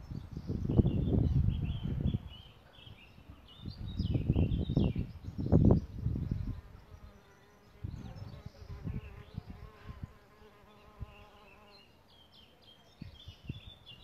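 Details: Solitary bees around their bug hotel nest site: heavy low rumbling bursts at the start, then a sustained droning buzz in the middle stretch, while birds chirp high in the background.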